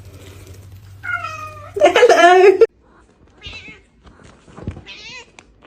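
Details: Domestic cat "talking": a short rising meow followed by a louder, wavering, strained yowl lasting under a second, then faint softer mews, with people saying hello and telling it to knock it off.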